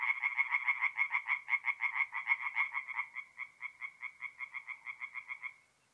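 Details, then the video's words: Night chorus of tree frogs at a forest pond in North-East Italy, mid-April; loud, rapid, raspy pulses that ease into a quieter, steadier run of clicks before fading out. "relaxing forest pond by night with singing tree frogs"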